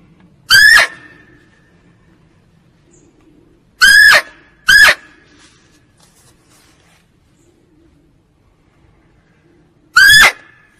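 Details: Calls of a female barking deer, used to lure it for hunting. Four loud, sharp, tonal cries come at uneven gaps, two in quick succession, with near silence between them.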